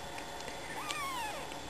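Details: A sleepy kitten, the family's newest addition and unable to wake up, gives one soft, quiet meow that rises and then slides down over less than a second against a faint background hiss.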